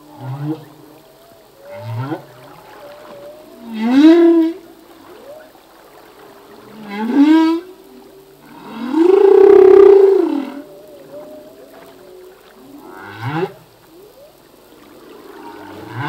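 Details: A male humpback whale sings in the sea: a sequence of rising whoops spaced about three seconds apart, a long roaring groan around ten seconds, and soft warbling tones linking the units.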